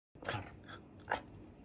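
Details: Caracal asked to say "kerr", indoors, giving two short, harsh, breathy bursts about a second apart, the second sharper and louder, over a quiet room background.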